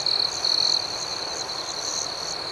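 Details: Crickets in the night: a loud buzzy chirp burst opens over a sustained high-pitched ringing chorus that carries on evenly to the end.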